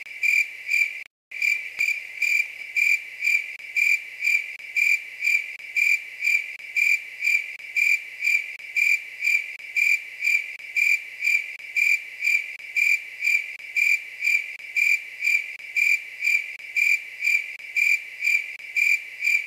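A grasshopper calls at night with a shrill, buzzy trill pulsed roughly twice each second. The rhythm holds steady throughout, with no other sounds behind it.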